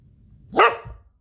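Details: A Great Pyrenees, Golden Retriever and Jack Russell terrier mix puppy, while playing, gives one sharp, bright bark, loud and quick, fading within a fraction of a second.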